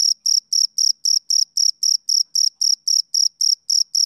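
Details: Male cricket chirping on a summer evening: about four short, pure, high-pitched pulses per second in a steady train, each with a faint higher overtone, over a completely silent background.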